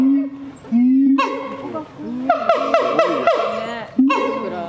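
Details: Siamang heard at night giving loud, harmonic hooting calls in a quick repeated series, rising and falling in pitch.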